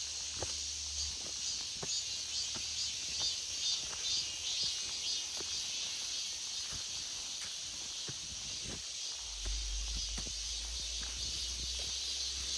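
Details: Forest in August alive with cicadas, their high buzzing wall of sound steady and unchanging, joined by regular light ticks and a brief low rumble near the end.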